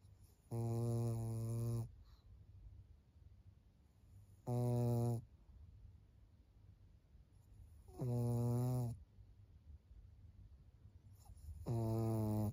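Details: Maria, a 14-year-old senior fawn female pug in Japan, recorded 4 June 2024, snoring: four deep, rasping, harmonic snores, each about a second long, spaced roughly every three and a half seconds with quiet breathing between.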